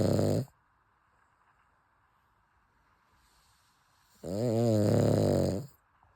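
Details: A sleeping Cavalier King Charles Spaniel named Chappy snores indoors: a brief snore at the start, a quiet pause of nearly four seconds, then a longer, louder rasping snore with wavering pitch lasting over a second.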